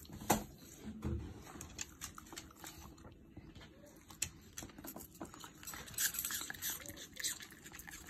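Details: A pet Shiba Inu named Yuzu chewing apple indoors: crisp, irregular crunches and snapping bites, some loud and sharp, with a denser patch of crackly munching near the end and faint room noise between.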